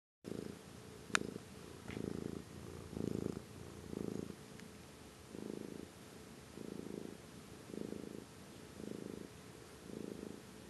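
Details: Pet cat named Amber purring close up: steady low rumbling pulses, each breath cycle lasting about a second, alternating in and out in a soft rhythmic pattern, with a faint click near the start.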